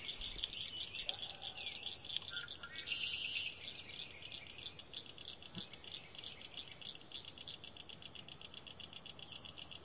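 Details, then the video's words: A dense, shrill summer chorus of high peeping spring peepers runs steadily throughout, with a few brief lower notes early on, apparently from a red-winged blackbird. "Summer Peepers"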